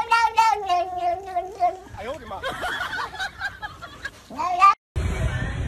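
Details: Kittens calling: a long wavering mew held for nearly two seconds, then jumbled overlapping cries and a short rising mew, followed by an abrupt cut to background noise.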